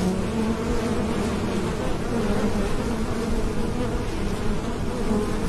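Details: Bees buzzing in a natural setting: a continuous low drone with wavering tonal bands around the hum, steady in loudness throughout, with a broad rumble underneath.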